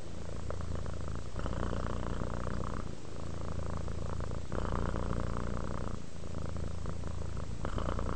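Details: Steady purr from a relaxed house cat, a low continuous rumble that pulses with each breath, louder stretches alternating with brief softer gaps roughly every one and a half seconds.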